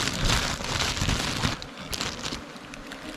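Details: Crackling, rain-like patter and sharp knocks dominate, loud at first and then quieter, with no clear animal voice.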